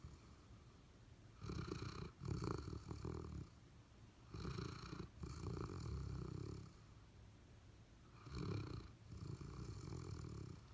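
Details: Golden Retriever and Labrador Retriever sleeping and dreaming indoors, giving slow, rumbling snores in long low breaths, each lasting about two seconds, with quiet pauses between them.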